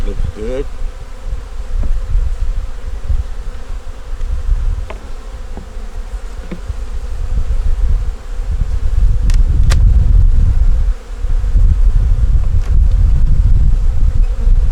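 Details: Honey bees in a nuc colony with a yellow queen, eggs and brood, working to make it through winter during a hive inspection: a steady low droning hum that swells louder after eight seconds, with a brief voice at the start and scattered clicks.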